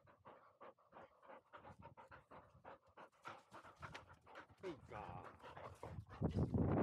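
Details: Field-type Labrador Retriever puppy, 439 days old, slope dash; quick rhythmic panting about four breaths a second, with a human voice and louder handling noise rising toward the end.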